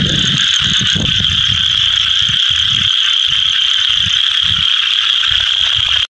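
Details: A Scaber's toad calls with a steady, high-pitched trill that runs on without a break, its yellow vocal sac visible, while many others call around the edges of a small pond.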